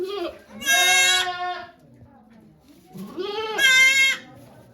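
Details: Birth of two kids to the goat Okayu at Yoshigake farm in Japan, 3 May 2023, with volunteers present; two long, loud, nasal bleats with a wavering tremor, separated by a short pause and low voices.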